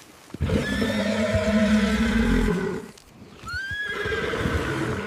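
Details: Wild horses running free in open meadows: a long, low, steady drawn-out call with rich harmonics, then a brief hush and a sharper high whinny that falls away, over rumbling hoofbeats.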